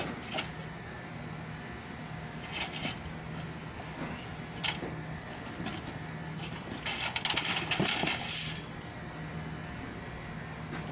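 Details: Clattering metallic knocks and jingles over steady vehicle or motor hum, with a burst of broadband hiss near the end and no clear animal voice.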